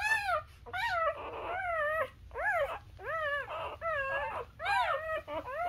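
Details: Newborn Labrador puppies suckling from their mother let out loud, arched whines, each rising then falling, repeated roughly every second in a steady series.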